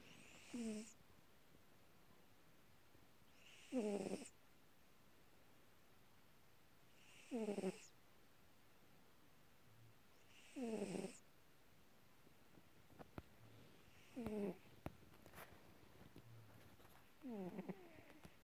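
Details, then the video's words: Female Calico cat, about eight years old, snoring loudly while asleep: six raspy, harmonic snores with a falling pitch, repeated roughly every three and a half seconds, with faint clicks between them. "Loudly Snoring"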